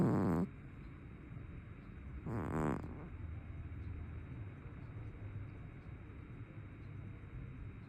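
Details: A plump brown tabby cat gives a loud snore at the start and a second, softer rasping snore two seconds later, then quiet breathing hiss.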